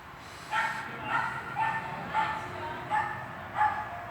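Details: Swiss dog barking during a training session in an indoor hall, recorded 13 August 2021: six sharp, evenly spaced barks roughly every half second to second, with a steady background hum in the room.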